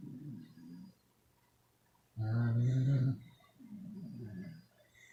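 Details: Twelve sleeping Beagles snoring in a group; soft low rasping breaths, then one loud deep rumbling snore lasting about a second, followed by quieter wheezy breathing.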